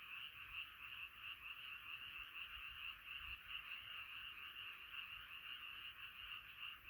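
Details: Frogs massed in a nighttime chorus, their overlapping croaks forming a constant high buzzing band that swells and dips irregularly, roughly twice per second, with no other clear sounds.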